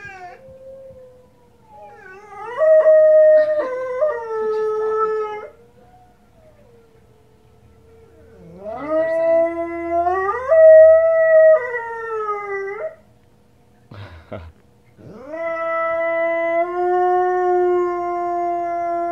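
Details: A female Presa Canario gives long, wavering howls that swoop upward and hold, answering wolves howling on the TV.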